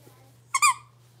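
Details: Blenheim Cavalier King Charles Spaniel puppy, six weeks old, from a litter of five kept in a home puppy pen: one loud, brief, high squeaky yip with a bright harmonic tone against a quiet indoor background.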